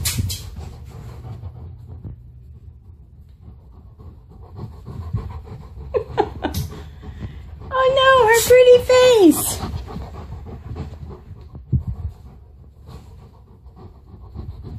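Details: Alaskan Malamute Tonka, a male dog playing with a mannequin head indoors, gives a sustained, tonal, slightly wavering moan that falls away at the end, amid panting and a woman's voice speaking to him.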